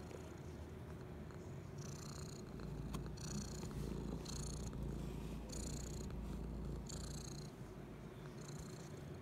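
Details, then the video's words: Persian mixed brown tabby rescue cat purring while relaxing in a shopping bag, Brisbane, Queensland, Australia, December 2019; steady low rumbling purr with rhythmic breathy pulses about every second, indoors. "Kitty Purrs and Relaxes in a Shopping Bag"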